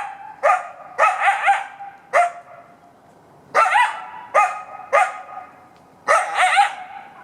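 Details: A single male coyote barks almost non-stop for over 20 minutes, for unknown reasons, from about 40 feet into the woods in Buena Vista Park on Sunday morning, 7 May 2017: sharp yelping bursts, some breaking into quick wavering yips.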